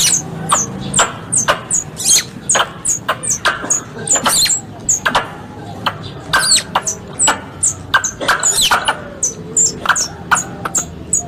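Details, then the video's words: Squirrel sounds compiled as a hunting lure: rapid, high-pitched falling chirps, some in quick doubled pairs, interspersed with dry clicks, steady throughout with a slight low rumble behind. "Suara Tupai 3 In One Terbaru Sebagai Penyempurna Suara Pancingan Tupai"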